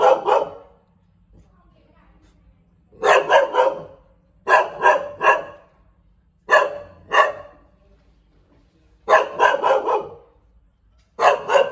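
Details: Bangkaew dog from Thailand giving loud, harsh barks in clusters of two to four, each cluster separated by pauses of one to two seconds.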